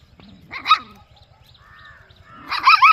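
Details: Puppy or dog in a peaceful village, giving two short, harmonic, yelping barks about two seconds apart. The second is longer and wavering, over a steady, rapid low ticking in the background.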